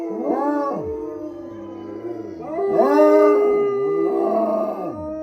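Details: Wolfdog at a wolf sanctuary in southern Ohio, howling: long, wavering tones that rise and fall in overlapping bursts, with rich harmonics and a steady drawn-out note beneath.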